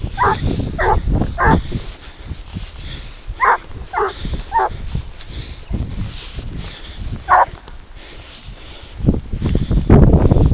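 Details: Leashed boar-hunting dog Garuo, 22 months old, lets out clusters of three short, high barks, pauses, then barks again, amid brush rustle and low handling noise.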